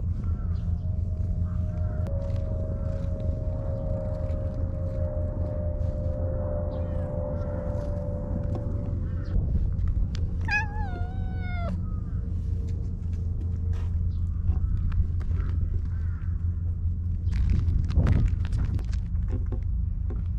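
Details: Stray cat in a park, affectionately seeking attention while being petted, gives one short harmonic meow that rises briefly then slides down, heard midway over a steady low rumble and a long faint humming tone.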